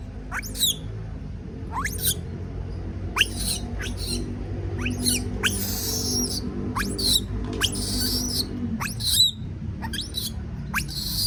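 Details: Young monkey afraid of being alone cries out in repeated shrill upward-sweeping screams, roughly one every two seconds, some harsh and noisy, with soft music playing steadily underneath.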